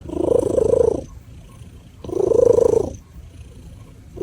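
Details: Domestic cat purring in two loud, rumbling bursts of about a second each, separated by quieter breathing-like purr.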